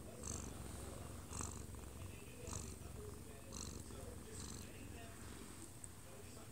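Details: Odd-eyed Munchkin cat aged one year two months, asleep in its owner's arms and recorded up close, purring in a deep rumble that swells with each breath about once a second, while a living-room TV chatters faintly.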